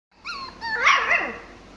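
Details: Pomsky named Mikey playing with his toys indoors: a short whining yip that slides up then down, followed by a louder rough bark-like yelp fading out.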